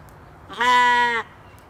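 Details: Single loud bleat of a Katahdin sheep playing in the evening on a Michigan homestead, a steady, buzzy, harmonic cry lasting about two-thirds of a second.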